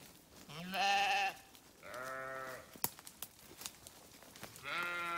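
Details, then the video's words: Several sheep bleats in quick succession, steady harmonic calls about half a second to a second long, with a few sharp clicks and knocks between them. "Sheep Videos 🐏 Sheep Sounds"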